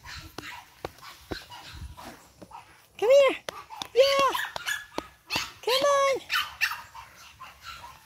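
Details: Boston Terrier puppy from Charm's 8-week-old litter lets out three loud, arched yelping barks about a second apart, each rising and falling in pitch, amid clicks and soft household sounds.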